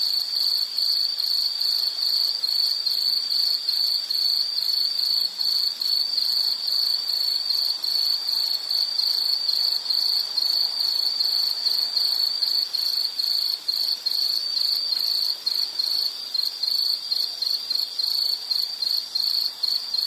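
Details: Dense, shrill insect chirping sustained over the whole stretch, a rapid pulsing buzz at steady volume with a faint rustling underlay.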